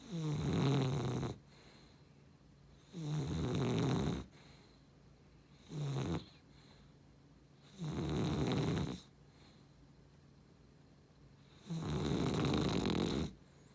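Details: Beagle-cavalier mix dog snoring steadily: long, low, rattling inhalations of about a second each, separated by two- to three-second silences, with one shorter snort in the middle.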